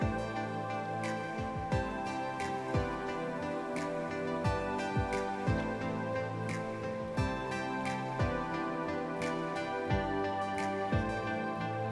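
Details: Gentle new-age instrumental music plays steadily throughout, with soft repeated plucked notes and no animal sound.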